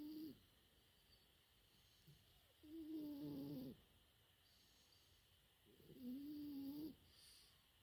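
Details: Sleeping French Bulldog puppy, four months old, snores in slow rhythm: three droning, slightly tonal breaths about a second long, repeating roughly every three seconds over quiet room hum.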